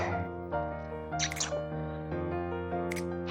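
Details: Tonal music with a few short clicking, splashy noises plays, and no animal voice stands out.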